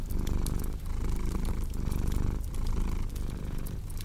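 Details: Close, loud purring from a cat, a thick vibrating rumble in breath-length waves, with faint crackles of a fireplace behind it.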